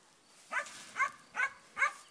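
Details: Four sharp barks, evenly spaced about half a second apart, from a black German Shepherd in tracking training, against a quiet background.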